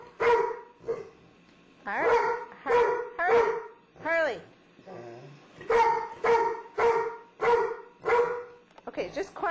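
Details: Domestic dogs, a little puppy that has moved in with a cranky but tolerant old dog, indoors; loud tonal barks repeated in bursts roughly every half second to second, with an arched whining call midway and a quiet pause.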